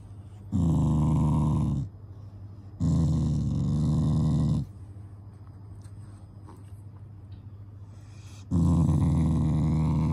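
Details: Shiba Inu named Taiga, a loving family dog, growling while lying down as a show of affection rather than anger; three low, rumbling growls of one to two seconds each, separated by quiet pauses.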